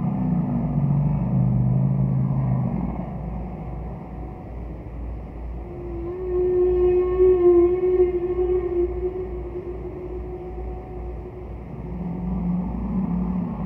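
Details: Roger Payne's recording of a distant humpback whale singing: a deep groaning moan, a lull, a long pure tone with stacked overtones held for several seconds, then another low moan returns, all over a continuous low hum.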